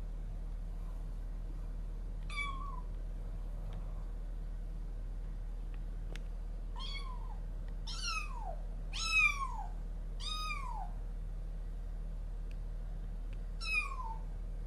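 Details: Several cries break the quiet: a resident cat and a newly arrived kitten meet for the first time, threatening each other on day one. There are six clear meows, each bending upward then dropping, two of them closely paired near the middle.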